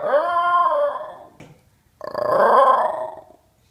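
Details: Indoor Basenji 'talking' in two drawn-out, wavering yodel-like cries, the first sliding downward and fading, the second louder and swelling before tapering off, with near silence between them.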